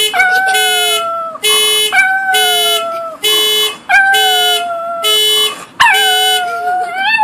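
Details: Pet dog Kipper howling at a car alarm, long wavering howls sliding slowly downward, heard together with loud, steady pulsed electronic alarm beeps repeating about once a second throughout.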